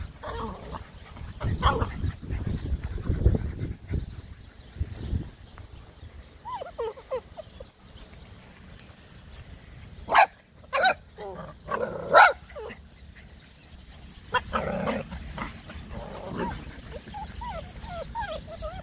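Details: Several silver Labrador Retriever puppies: muffled low bumping at first, then thin wavering whines, then a burst of sharp repeated yips and barks, followed by more high, sliding whimpers against low background hum.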